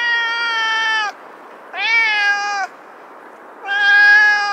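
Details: Domestic cat meowing three times, each drawn-out call about a second long, rich and harmonic, first level then sliding, with short pauses of quiet between calls.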